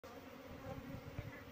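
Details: Asian honey bees (Apis cerana), a colony being lured into a cultivation hive box, give a low steady hum that runs through the whole moment, with faint rustling beneath.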